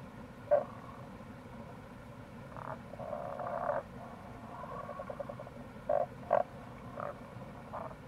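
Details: In April near a gorge on the Kamo River, Itoshima, Fukuoka, Japan, a wild Tago's brown frog gives soft, short croaks and a longer murmuring pulsed rattle, then a close pair of grunts, all over a constant low background rush.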